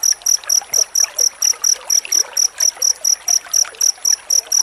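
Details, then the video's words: Cricket chirping, played to teach magpie-robins, with bright high tonal pulses about four per second, each with an upper harmonic, and light trickling noise between them. "Suara jangkrik rapat untuk masteran murai batu"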